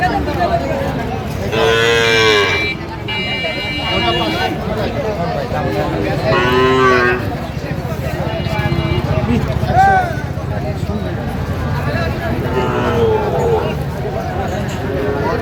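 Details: Sahiwal cattle at a livestock market in Manikganj, Bangladesh, where young bulls are being traded; several drawn-out harmonic moos rise and fall, near 2, 6, 10 and 13 seconds, amid steady crowd chatter and bargaining voices.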